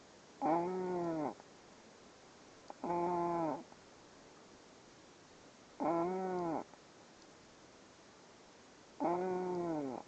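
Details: Sleeping puppy making repeated drawn-out nasal whining tones with stacked harmonics, each about a second long and recurring every three seconds or so, in a quiet indoor room.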